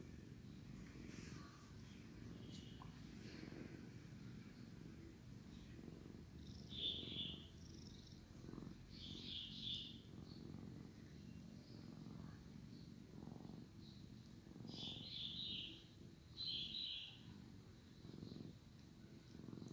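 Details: Drowsy male house cat purring as his brother gives him a licking session; a low, rough, continuous rumble rising and falling, broken by several short high squeaky chirps.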